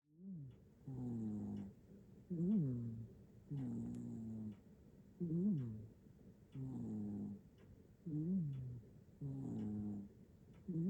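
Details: Nana, a black-and-white hachiware cat in Japan, snores while sleeping soundly, recorded on an iPhone 15 Pro Max; low droning exhales alternate with arched, rising-then-falling wheezy inhales, each breath pair repeating roughly every three seconds in a quiet room.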